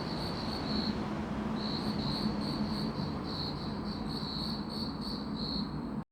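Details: Grass insects chirping in a steady, high, pulsed trill that runs almost unbroken, with one short gap near the first second, over a low background hum.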